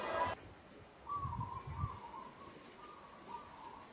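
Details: A monkey in Kampong Cham Province, Cambodia, struggles and calls while another monkey handles it roughly; after a brief burst of noise comes one long, wavering, whistle-like call lasting nearly three seconds, with soft thumps beneath.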